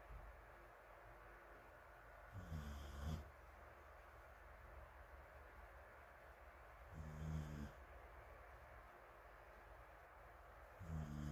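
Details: Low, rumbling snores from the sleeping dog Morimori, resting on a sofa in a fan's breeze alongside rescued puppy Taisetsu and other dogs in Hamanaka, Hokkaido, on June 21, recur roughly every four seconds, filmed from afar beneath constant fan noise.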